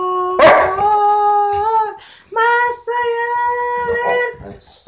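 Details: Saint Bernard Jehu singing: a sharp yelp leads into long, even, tone-like howls held for over a second each, separated by a short silence, with faint breaths between.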